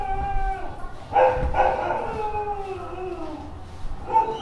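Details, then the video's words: Street dog giving long, tonal, whining cries that glide downward in pitch, broken by short sharper yelps, over a low background hum. "DOG BARKING SOUND EFFECTS - STREET DOG"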